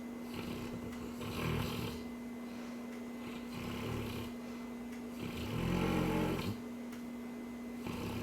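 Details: Cane Corso snoring as it dreams, three breathy, rattling snores about two seconds apart, each rising and fading, the last one deepest and loudest, over a faint steady hum.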